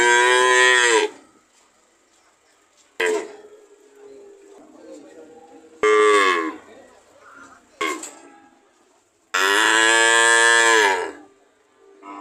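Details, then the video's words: Cows mooing in a series of short, loud harmonic moos, each about a second or more long, spaced by quiet gaps; the last moo is longer and bends downward in pitch as it ends. "Sound of cow"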